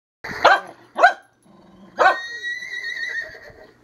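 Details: Dog kept as a herding dog, barking in three sharp loud bursts, the last trailing into a long whining tone, with a person urging it on.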